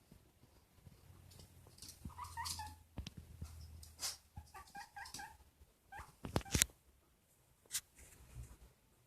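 A guinea pig gives short, high squeaky notes in quick bursts, mixed with clicks and rustling.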